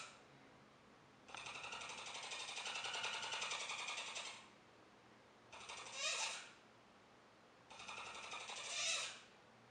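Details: Capybara named Joejoe, indoors, giving a long buzzy rattling purr of rapid pulses lasting about three seconds, then two shorter rattles, each ending in a louder rising squeaky whine; quiet room background.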